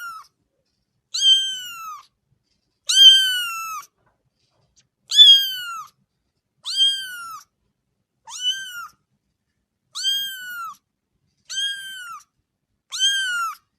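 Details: Kitten meowing while playing with its mother cat: high, clear meows with rich harmonics, each arching up then falling, repeated about every one and a half seconds, nine calls in a quiet indoor setting.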